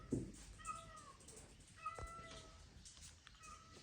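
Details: Domestic cat meowing while two dogs out on a morning walk search for it; one dog trembles on hearing it. Three drawn-out, tonal meows, each slightly falling, spread over four seconds, fairly faint, with a woman talking quietly nearby.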